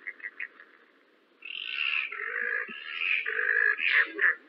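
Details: A yellow-bellied glider, recorded by forest ecology staff in New South Wales, gives a loud, harsh, gurgling shriek that rises and falls in rough surges.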